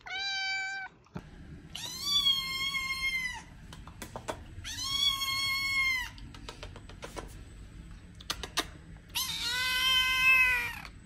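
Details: Domestic cat meowing indoors, four drawn-out meows each about a second long, the first shorter and lower, the others loud, rich and slightly arched, separated by quiet gaps with faint clicks.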